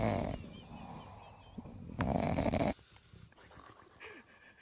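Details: A dog falling asleep in an odd place snores in rough, breathy bursts, a short one at the start and a louder one near two seconds, followed by quieter breathing noise.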